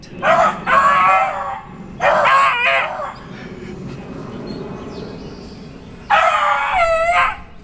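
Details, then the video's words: Beagles, including one named Chloe, bay at a treed squirrel with long drawn-out howling bawls. They come in three drawn bursts over a low steady rumble of background noise. "Beagles Tree Squirrel"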